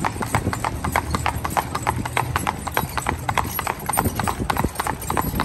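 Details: Driven team of two spotted draft/Haflinger cross horses, mare and her son, trotting on pavement: crisp clip-clop beats, roughly a hundred per minute in an uneven rhythm, over a low rolling rumble and faint voices.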